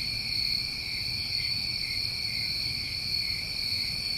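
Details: Crickets on a New England summer night, a dense chorus of steady, unbroken high trilling layered in bright bands, with a faint low rumble beneath.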